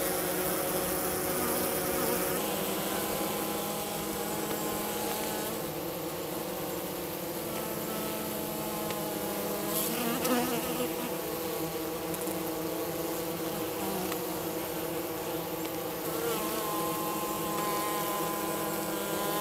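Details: Minnesota hygienic honey bees south of St. Paul on March 16 at 50 degrees, removing their dead from the bottom of the hive: a steady dense droning hum with layered tones, unbroken throughout, with faint handling noises.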